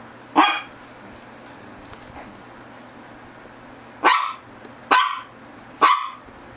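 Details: Short, sharp barks from a Shih Tzu: one early bark, a pause of over three seconds, then three quick barks about a second apart, with a faint hum underneath.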